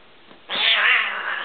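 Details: Domestic cats: a fearless young male tabby kitten going after his older, adopted Siamese sister. After half a second of near quiet, a loud, harsh, sustained yowl bursts in and holds strongly for about a second.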